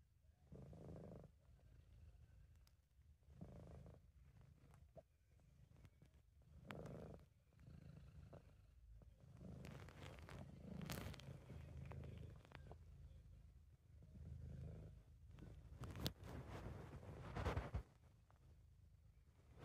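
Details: Relaxed British Shorthair cat giving a low rumbling purr, amateur recording; steady deep vibration with breath-paced swells, louder and denser in the middle, plus scattered soft rustles and clicks.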